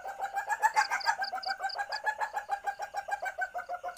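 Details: An Asian palm civet (Paradoxurus hermaphroditus) gives a fast, steady run of clucking pulses, its in-heat mating call, used here as a lure call.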